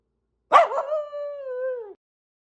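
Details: A corgi gives one sharp bark that stretches into a steady, drawn-out yowl, warning off intruding cranes and geese.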